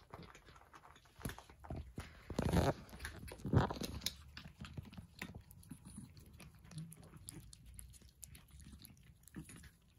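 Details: Persian cats eating breakfast: irregular crunchy chewing and biting clicks, about one per second, with two louder crunching bursts early on and a soft low rumble underneath.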